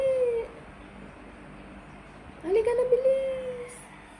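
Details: Pregnant adopted Persian cat, often asking for food indoors, gives a clear mid-pitched meow at the start, then a longer rising-then-level meow about two seconds later, while her owner coaxes her in Tagalog.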